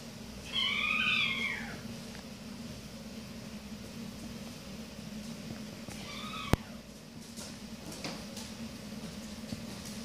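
Maine Coon kittens give thin, high meows that rise and fall, with a steady indoor hum beneath.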